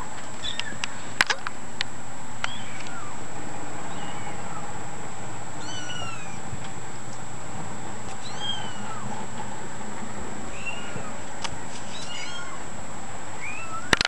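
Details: Several kittens mewing: short, high, thin arched cries scattered irregularly throughout, some overlapping, over a constant hiss and a few sharp clicks.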